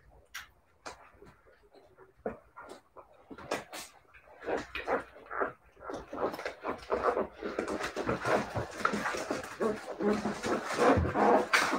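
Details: Siberian Husky puppies whimpering and yelping, sparse at first then building into a dense, continuous run of rapid overlapping cries and scuffling over about twelve seconds.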